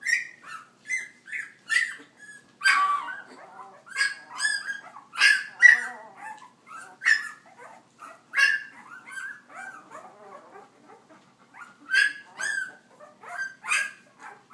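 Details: Litter of puppies belonging to Leia at walking time, yapping excitedly: a rapid series of short, high, sharp yips and small barks in uneven bursts, with brief quiet gaps between clusters.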